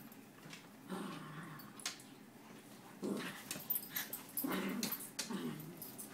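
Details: A poodle described as vicious, growling indoors; short, low, rough rumbling bursts at about one, three, four and a half and five seconds, separated by quiet gaps with rustling and handling noise.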